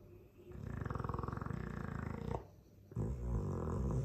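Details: Mastiff of the Dogue de Bordeaux breed snoring heavily in its sleep: two rough, low, fluttering snores, the first nearly two seconds long, the second following after a brief pause.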